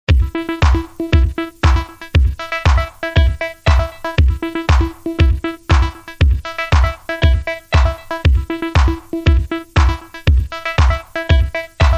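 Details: Electronic dance music with a steady, fast drum-machine beat and synth notes, no animal sounds.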